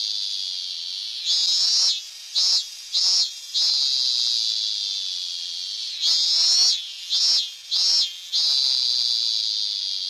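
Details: Robust cicada (Hyalessa fuscata) singing: a steady high buzzing drone broken by loud pulsing bursts, with a cluster of short surges near the start and another near the middle.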